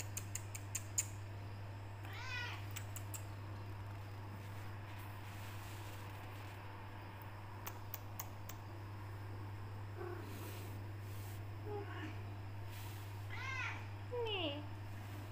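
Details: Becky, a female black Persian cat, tortoiseshell with golden highlights, meowing indoors when kept in a room, wanting out or food: several short rising-then-falling meows spaced through the clip over a steady low hum, with scattered clicks and taps.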